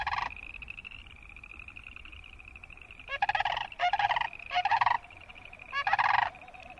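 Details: Croaking boreal chorus frogs. A continuous high, pulsed trill chorus carries on behind several loud, raspy, ratcheting bursts of about half a second each, clustered in the second half, with little low background noise.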